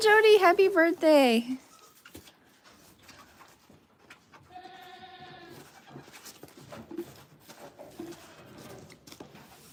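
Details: One loud quavering bleat from a goat on a farm feeding kids by bottle, falling in pitch over about a second and a half, followed by a fainter tone and low speech.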